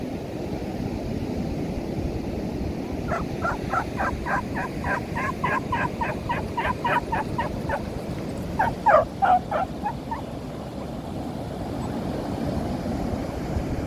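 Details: Female beagle on a beach, running and chasing among several other dogs in shallow sea water: a fast run of sharp, repeated yaps for about five seconds, a pause, then a brief second burst, all over constant surf roar.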